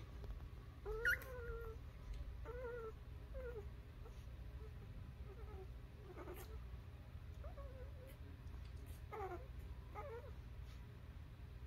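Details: Newborn puppies squeak with brief high whimpers that rise then fall, about eight short cries scattered over eleven seconds above a steady low hum.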